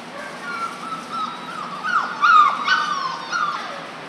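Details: Litter of four-week-old German Shorthaired Pointer puppies whimpering and whining together: wavering mid-pitched whines overlapping in quick succession, rising into a few louder squeaky yelps near the middle.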